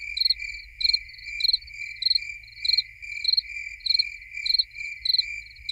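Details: Nothing but crickets: a loud, high chirp repeats about every half second over a steady, ringing trill from other crickets, the rhythm holding evenly from start to finish.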